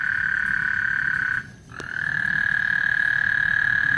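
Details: Frogs singing on Lake Houston before a thunderstorm: a dense, steady high trilling chorus that dips briefly to near silence about a third of the way through, then swells back to full strength.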